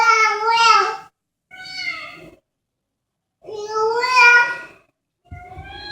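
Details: Pet cat meowing as a child talks to it on 13 August 2014, indoors: four drawn-out, harmonic meows in six seconds, each about a second long, some rising then falling, with the child's voice close by.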